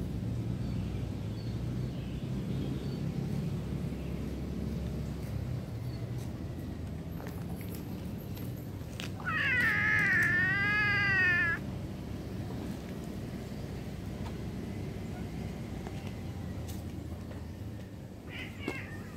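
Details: Cat giving one long, wavering meow lasting about two and a half seconds midway, then a short, quieter meow just before the end, over a steady low background rumble.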